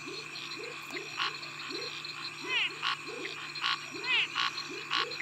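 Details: Territorial call of the tree frog Scinax x-signatus in a mixed frog chorus with Pithecopus nordestinus, Physalaemus albifrons, Leptodactylus vastus, Pseudopaludicola pocoto and Dendropsophus nanus: raspy pulsed bursts, two curved downward-sweeping harmonic notes, and steady low chirps throughout.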